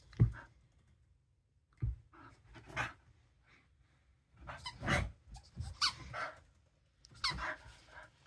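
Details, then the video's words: Dosa the dog barks in short, husky bursts with breathy panting between, a low thump at the start, then groups of rough, noisy barks spaced a second or two apart. "Have you ever heard Dosa BARK before?"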